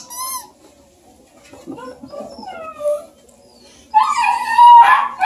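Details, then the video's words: Baby Bluetick Coonhound puppies playing with their Redbone Coonhound buddy Luke near Kingston, Ontario, Canada: thin high whines and wavering whimpers, then a sudden loud burst of squealing yips near the end. "Baby Bluetick Coonhound puppies and their Redbone buddy Luke"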